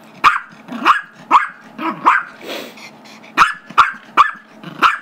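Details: Pet Chihuahua/Yorkie mix, five years old, barking in play, eager for a squeaky toy the other dog holds: bright, clipped yaps in quick bursts, with a short pause and a soft breathy noise midway before more rapid barks.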